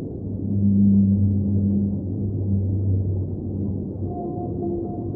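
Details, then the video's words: Underwater whale song with a very deep, drawn-out hum that fades after about three seconds, then a brief higher wavering tone near the end, all over a continuous low watery rumble. "Underwater Whale Sounds - Ambient Soundscape | Whale Singing"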